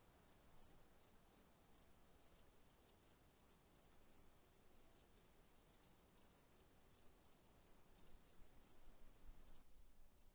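Crickets chirp in short, high pulses repeated several times a second, layered over a continuous shrill insect hum. A low rumble of wind or distant noise sits underneath.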